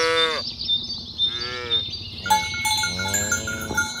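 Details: Tame cattle roaming a green grass field in the morning, herded along village roads toward the pen, mooing to call others to gather: three harmonic moos, short then longer, over steady ringing cowbells.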